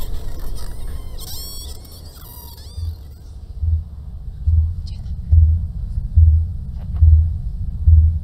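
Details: Deep, thudding blue whale pulses, recorded raw by hydrophone from a ship, repeat almost every second like a slow heartbeat, following high dolphin whistles.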